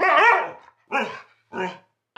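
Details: A Siberian Husky in conversation with its owner, giving three moaning, howl-like utterances. The first is the longest and wobbles in pitch, and the next two are shorter and evenly spaced. There is no other sound.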